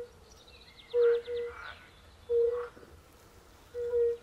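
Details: European fire-bellied toads at a forest pond where pool frogs also call: three paired, soft, fluting low notes with quiet gaps, and a brief rattling trill from another frog early on.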